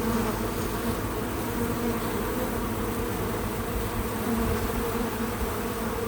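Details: Bees visiting a feeder outdoors on a small farm, recorded in real time: a steady, dense hum of many wings with a low droning undertone, no music or talking, only faint soft bumps.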